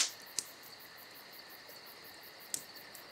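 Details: Crickets trill continuously through a summer night, thin and high, while a crackling fire punctuates the brief stretch with two bright pops about two seconds apart.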